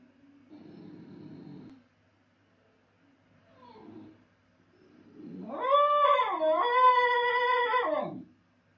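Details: Basenji alone at home after its owner has gone: soft low whining and quiet sounds, then a loud yodel-like howl that rises, dips and wavers for about three seconds.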